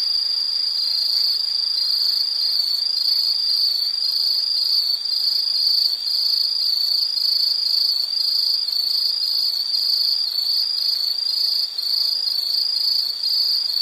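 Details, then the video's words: High insect trill in a relaxing nature recording, a bright ringing tone broken into fast regular pulses about every half second, steady throughout with faint higher overtones. "Nature Sound of nature sounds scenery L · insect"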